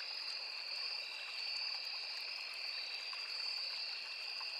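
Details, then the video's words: Forest insects by a small river, crickets among them with cicadas: continuous shrill trilling held at two high pitches, barely wavering in loudness, over a gentle background of flowing stream. "Crickets, Cicadas, Insects"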